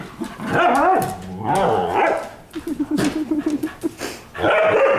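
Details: Indoors at night, pet dogs at playtime in the living room produce rising and falling whining growls, then a rapid pulsed grumbling run, and a final loud harmonic burst, amid scuffling noises.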